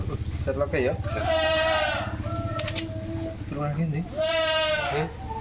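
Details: Goats being shipped from a farm, giving two wavering, tremulous bleats about three seconds apart over low background voices and rumbling handling noise.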